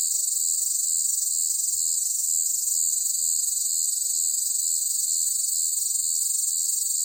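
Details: Loud cicadas on a hot summer day keep up a constant high, hissing drone with a fine pulsing texture, no other sounds standing out.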